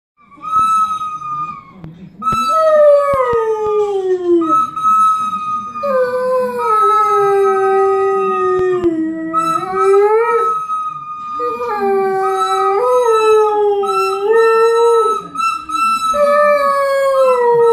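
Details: A big dog howls while a boy plays the recorder. Long wavering howls slide down and up in pitch, repeating through the clip beneath the steady, higher recorder notes. Soft background noises are also heard.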